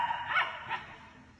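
German Shepherd puppies give two brief, high yips less than half a second apart.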